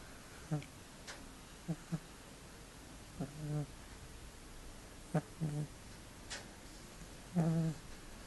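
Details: Loud snoring from a cat: low, rough, buzzy breaths, often doubled, with a few short squeaky notes, spaced one to two seconds apart against faint room hiss.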